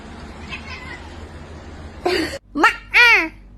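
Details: Domestic cat meowing indoors: after a quiet stretch with faint background sounds, a sharp burst, then two short harmonic meows, the last one arching down in pitch.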